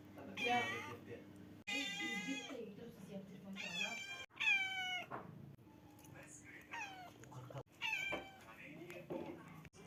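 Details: Black kitten meowing repeatedly, a series of bright, wavering, rising-and-falling mews with short gaps, mixed with a person talking softly in the background.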